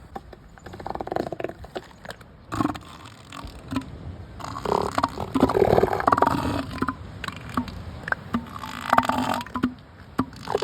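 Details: Juvenile and young southern elephant seals on a beach on Sea Lion Island, Falkland Islands, in December 2024. They give rough, throaty belching roars and grunts in irregular bursts over steady wind and surf.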